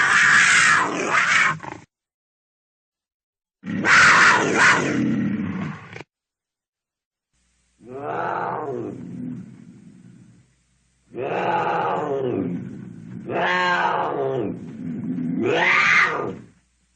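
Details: Cougar giving two harsh, broadband hissing bursts, followed by three loud, harmonic, wavering screams with falling tails. The calls come in blocks of about two seconds, separated by short silences.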